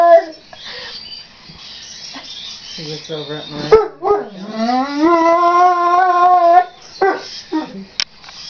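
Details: Neapolitan Mastiff singing: a long rising howl lasting about three seconds, preceded by short yelps and a human voice, with brief barks after.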